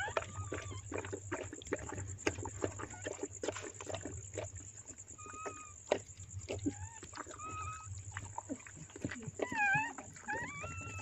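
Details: Newborn puppies from a black Chow Chow's litter, born during whelping, give high, thin whines and squeaks, rising and falling, over a steady electrical hum.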